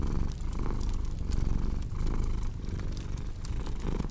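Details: Soft rumbling purr of a cat, gently pulsing with breathing, mixed with crisp crackles from a wood fire.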